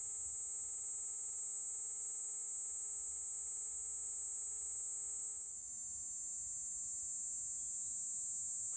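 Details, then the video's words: A small Kuroiwa cicada in Okinawa, about 2 cm long, sings a loud, steady, shrill high-pitched buzz without a break, calling even in the rain. "セミの鳴き声 クロイワニイニイ Platypleura kuroiwae 沖縄の蝉"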